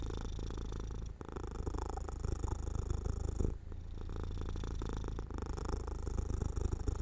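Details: House cat drifting to sleep in sunlight beside an open window; a continuous low, throbbing purr runs in long phrases with brief breaks near one, three and a half, and five seconds.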